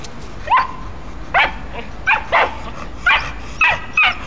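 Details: Dog barking while a German Shepherd male plays gently with a Pit Bull puppy; about seven short sharp barks or yips in quick irregular bursts over four seconds, fairly high-pitched, with quiet room noise between.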